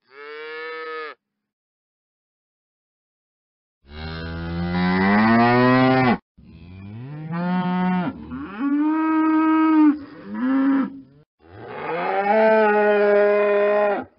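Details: Cow mooing: one brief call, then a long, deep, loud moo that rises in pitch, followed by several shorter moos that wobble and rise, ending in a drawn-out bellow.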